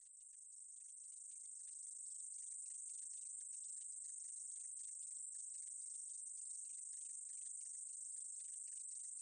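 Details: Continuous shrill insect buzz from a meadow katydid, from a 2020 National Institute of Biological Resources recording. It swells up over the first two seconds, then holds an unbroken high sizzle with rapid fine pulsing. The background is quiet.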